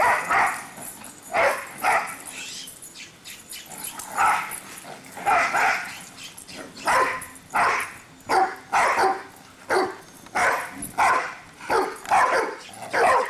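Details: Two pet dogs, Cinder and Zoe, running around and barking: loud, mid-pitched barks come in irregular bursts, often in quick pairs or triplets, roughly forty-four per minute, with short quiet gaps between.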